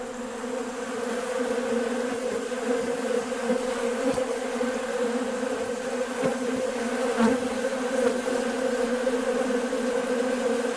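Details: Honey bees swarming a bucket feeder of sugar water on a nice warm day, busy after one seems to call the others: a dense, steady, droning buzz of many bees with a low hum throughout and a few brief clicks.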